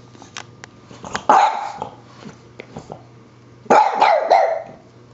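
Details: French Bulldog barking at a dust buster indoors: two loud, harsh barks about two and a half seconds apart, with softer clicks and yips between them over a steady low motor hum.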